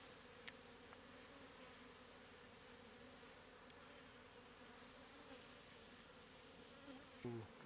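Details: Honey bees from a statue hive, largely Africanized, forming a bee beard in hot weather; a faint, steady humming drone, with a short human voice sound near the end.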